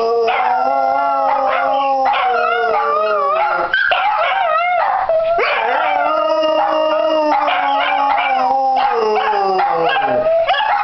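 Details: Several dachshunds on New Year's Day 2015, setting out for a walk, howl together in long, wavering, overlapping tones that slide up and down after one began barking; a cockatiel joins in.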